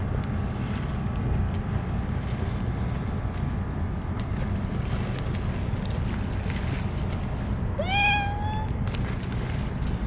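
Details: One of many stray cats gathered for a Churu treat feeding gives a single clear meow, rising then holding steady, late in the recording; steady low rumbling background noise throughout.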